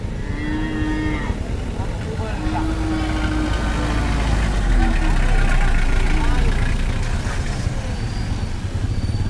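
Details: Cattle at an animal market in the afternoon, many being loaded onto vehicles; drawn-out nasal moos rise and fade over a constant heavy rumble of engines and crowd noise.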